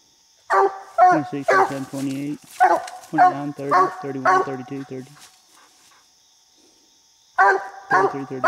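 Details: Treed coon hunting: the coonhound Bandit barks at a raccoon up a little tree, loud choppy barks close together for about five seconds, a silent gap, then barking starts again.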